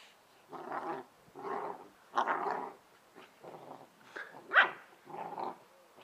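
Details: Playful growling from two Bernese Mountain Dog puppy sisters, Ylvi and Yella, wrestling together in the garden; gruff rumbling bursts around a second long, with one sharp higher yelp near the end.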